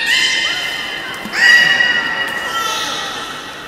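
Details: Beluga in a public training session at Port of Nagoya Public Aquarium, Japan, 18 July 2016, 13:30: a sustained bright, harmonic whistle that jumps upward and swells loudest near one and a half seconds, then slowly fades.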